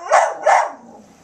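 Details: Two quick, bright barks about a third of a second apart from Sadie, an eight-year-old brown Border Collie mix in the Bahamas, who barks when told "Speak" or "Get um Sadie".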